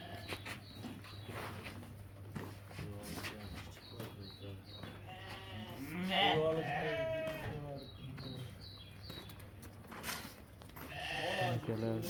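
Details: Sheep at a livestock bazaar where rams and ewes are sold, giving several wavering, harmonic bleats, loudest near six to seven seconds and again at eleven, over crowd noise and Uzbek speech.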